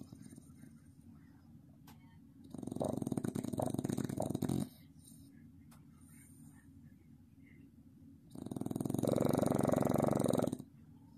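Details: A Staffordshire Bull Terrier pup snores in two long, loud, rattling breaths over a low steady breathing hum.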